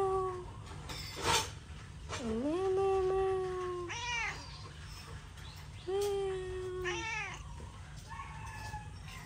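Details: Hungry domestic cats meowing: several long harmonic meows, one dipping then holding steady, others short and arched, spaced over a few seconds, with faint clatter and low background hum indoors.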